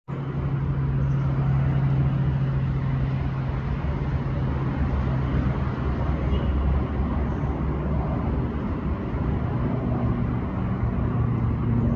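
Steady vehicle engine and road noise with a low droning hum throughout, and no animal calls.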